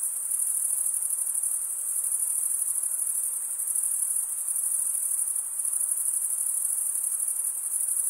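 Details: Stridulating male crickets keep up an unbroken, very high, even pulsing trill, a dense insect chorus with no other voices or background noise.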